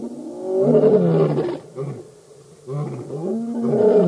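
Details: Lions of the Birmingham Boys coalition roaring at a dam in Djuma Game Reserve, Sabi Sand, South Africa, August 2016; deep, drawn-out moaning roars overlapping, with a brief pause mid-way before another swelling roar begins.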